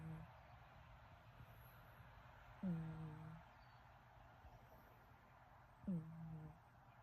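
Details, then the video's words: Sleeping cat Hector gives two low, droning snores about three seconds apart, each a brief nasal hum with faint upper overtones, separated by near silence and a faint constant room hum. "Hector is snoring"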